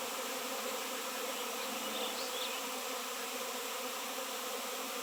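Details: A swarm of honey bees around a raw 7 lb piece of shungite, the first honey bees seen there in years; continuous dense buzzing hum, with a couple of faint high chirps around the middle.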